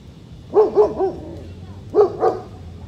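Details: One-year-old German Shepherd being trained, which tends to bark when out in public, especially in unfamiliar areas; a quick run of three barks, a pause, then two more, over low background hum.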